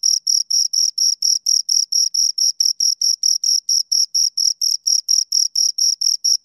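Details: Two crickets stridulating: clean, high-pitched chirps spaced evenly, around four each second, each a brief shrill buzz; no other sounds.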